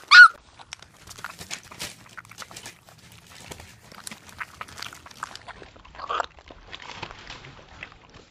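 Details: Rottweiler-Australian Shepherd mix puppies awaiting foster homes: a sharp, high yelp bursts out at the start, then a softer rising whine comes near six seconds, with scattered light clicks, shuffles and pawing noises in between.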